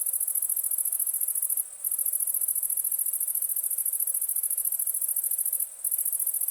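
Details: A cricket holds a shrill, continuous high trill of fast, even pulses, cut off twice by short silences.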